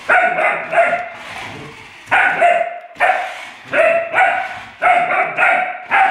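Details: Alaskan Malamute puppy reacting to an electric car, giving bright, harmonic-rich barks in short bursts of two or three, with the groups coming roughly every second over a steady background hiss.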